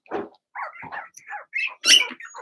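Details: In their puppy pen, Blenheim Cavalier King Charles Spaniel puppies from a litter of six let out harsh, rasping yaps and squeals almost without break, building to one loud, shrill burst before softer whimpers trail off.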